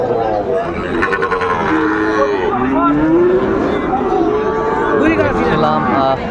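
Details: Sahiwal bull calves at a market on 20 December 2024; one long moo that rises and swells near the middle, with more lowing around it and people talking and bargaining nearby.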